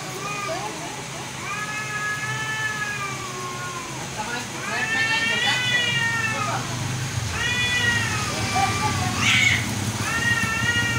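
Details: Cats fighting, trading long quavering yowls that swell and fade in arching phrases every couple of seconds, building louder toward the middle with brief harsh spits; a constant low hum underneath.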